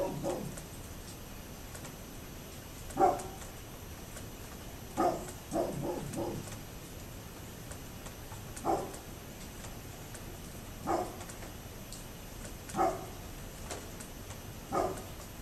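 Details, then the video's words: Persistent barking from a neighbour's dog: irregular single and clustered short barks, about thirty per minute, sounding muffled and far off over a quiet hum. "Neighbors Barking Dog"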